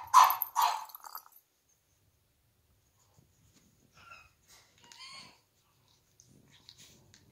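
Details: Brady, a three-month-old male French Bulldog puppy, gives two sharp, rough barks in quick succession. A pause follows, then soft high whines and whimpers that rise and fall, with faint rustling.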